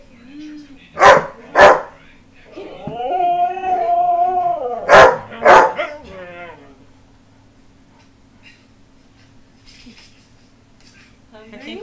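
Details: Pet dog howling in response to another dog's barking: two sharp barks, then a drawn-out, wavering, harmonic howl over several seconds, two more sharp barks, a short trailing howl, then quiet with faint background noise.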